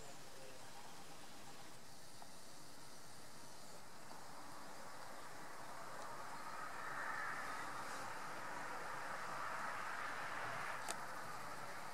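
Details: Broadband rustling outdoor noise with a faint low rumble and no clear animal calls. A brief click sounds near the end.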